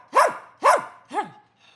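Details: Young dog pleading for help: two loud arched yelps in quick succession, then a third softer and shorter one as the calling fades out.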